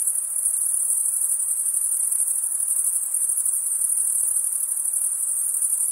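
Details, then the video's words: Insect calls at night form a constant shrill drone, high and pulsing slightly, continuing evenly across the whole stretch with nothing else audible. "Night Insect Sound"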